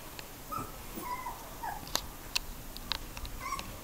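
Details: Three-week-old Border Collie pups learning to vocalise while playing: short high squeaky whines, several in quick succession, mixed with sharp clicks and small tapping noises.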